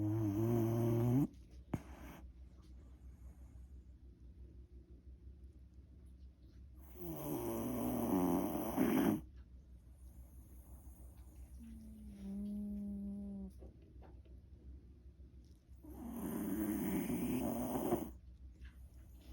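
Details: A Shiba Inu, a former rescue dog, snores loudly, with harsh rasping breaths roughly every eight seconds.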